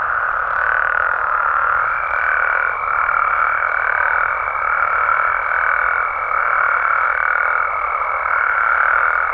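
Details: Mexican frogs and toads calling at night in natural amphibian habitat in Mexico: a dense, unbroken chorus of high trilling croaks, gently swelling and fading, with a thin steady whistle-like tone running through most of it.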